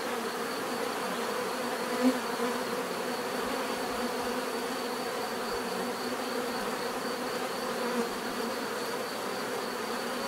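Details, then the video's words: Constant buzzing of bees, an even, dense hum of many wings with brief closer fly-bys at two points and a faint high tone above. "bees therapy relaxing natural buzzing sound"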